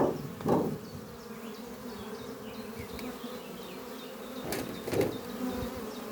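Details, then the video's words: Worker honey bees returning with pollen to the hive Doppio beneath trees on a spring morning. Loud buzzing bursts from bees flying close open and end the stretch over a constant low drone, with faint bird chirps high above. "sound of bees flying at beehive Doppio on a spring morning"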